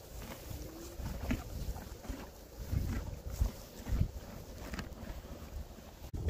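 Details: Several horses at a stable feeder chew hay, a low, crunchy grinding in irregular bursts, with wind rumbling on the microphone.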